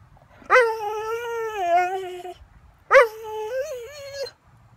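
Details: Catahoula dog begging at breakfast, talking back with two long whining vocalisations about two seconds apart, each starting with a sharp yip and wavering in pitch, the second bending upward near its end.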